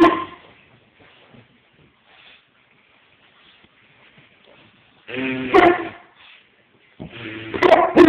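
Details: Bulldog named Beavis, a pet indoors, protesting at being zerberted; two bursts of harmonic, wavering whining-growling vocal sound, separated by quiet stretches, with faint human voice in between.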